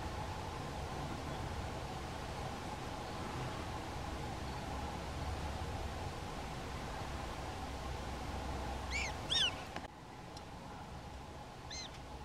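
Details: Prairie dogs in a small prairie dog town in North Dakota, filmed with a Canon SX70HS camera; a quick burst of four or five high, chirpy, harmonic barks near the end, heard over a steady low hum and background noise.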